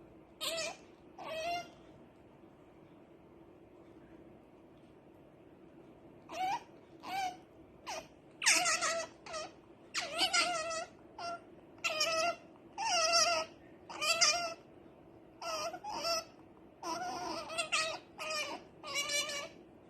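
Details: Otter Rara, wanting to sleep, squeaks in short sharp bursts, then after a quiet spell launches a rapid series of high, harsh chirps and squeals, several each second.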